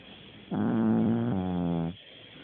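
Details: A dog snores in its sleep, a single drawn-out nasal rasp of about one and a half seconds with a slight pitch dip midway, set against faint background hiss.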